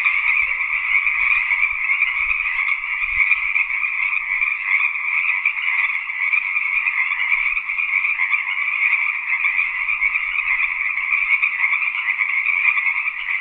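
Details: Tree frogs calling in a dense, unbroken chorus: a steady buzzing trill that never pauses and holds a level, shimmering drone at two stacked pitches, mid and high, throughout, with no other sounds present.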